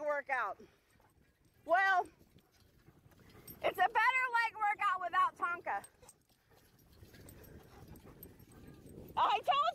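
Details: Alaskan Malamute pulling a beach bike along a river, giving a run of wavering, harmonic woo-woo vocalizations, several short rising-and-falling calls clustered together between isolated single yelps, with faint outdoor background.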